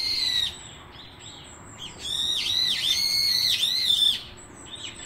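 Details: Timid stray mother cat Nureongi: a short high meow, then a longer, broken run of rapid wavering cries dipping and rising in pitch for about two seconds, ending with a faint final mew.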